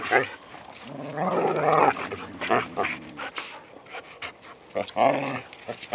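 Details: Whippets and rat terrier at play in the season's first light snow, giving softer, breathy growls and grumbles over a steady background hiss, with a few short vocal bursts.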